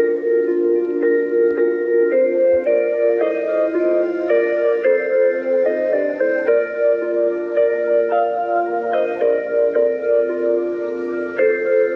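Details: Gentle marimba and glockenspiel melody plays steadily throughout, with no animal sounds.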